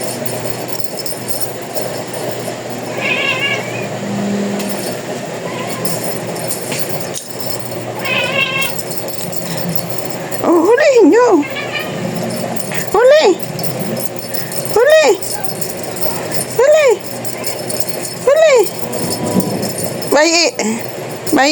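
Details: A 'talking' domestic cat: after some quieter murmurs early on, a series of short, arched meows rises and falls in pitch, repeated roughly every two seconds through the second half, over a steady background hum.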